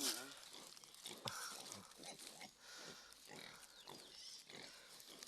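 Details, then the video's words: Farm sow around the time she gives birth in the countryside. Repeated short grunting and squealing pulses arrive about every half second, mixed with nearby human talk and steady background hiss. "Nanganak na Ang aming inahing baboy"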